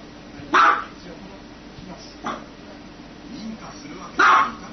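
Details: Dog barking: three short, sharp barks spaced about two seconds apart, the first and last loudest, with quieter murmuring voices in the background between them.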